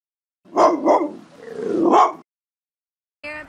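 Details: Dogo Argentino dogs on a late-summer 2021 road trip at Bryce Canyon: two quick, clipped barks, then a longer drawn-out bark that swells and breaks off, followed after a pause by a short tonal sound.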